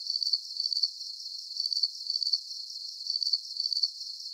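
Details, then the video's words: Chirping crickets from a relaxing sleep recording, giving high trilled bursts in pairs about every 1.5 seconds over a soft continuous high hiss, with nothing deep or low underneath and no other sounds. "Calming Cricket Sounds"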